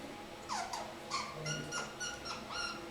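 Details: Young kakariki, three months old, perched in a shower giving odd little squeaks: sliding whiny notes followed by a run of short chirps against background hum.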